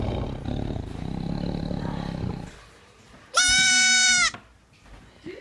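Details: Lemur giving one loud, steady, strongly tonal wail lasting nearly a second, flat in pitch and rich in overtones, after a stretch of low rumbling noise, with a faint sound following.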